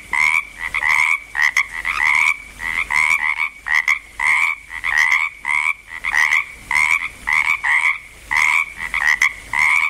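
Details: A chorus of frogs croaking in Langlois, Oregon, as they are getting going: dense overlapping two-part croaks with a low and a higher band, many short bursts each second in a steady, busy rhythm with brief pauses.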